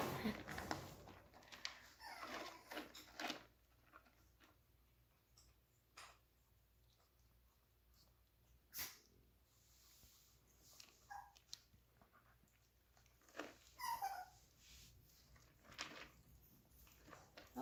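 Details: Older Chihuahua puppy trying to play with young Frankie: scattered short, high whimpering squeaks and yips between quiet stretches, with brief scuffling bursts of movement.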